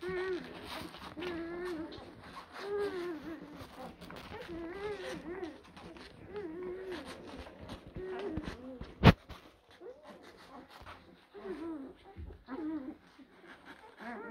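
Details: A group of blue Great Dane puppies from April 2023 litters whimpers and whines continuously indoors. Wavering, bending cries overlap, a sharp knock sounds midway, and low rumbling fills the background.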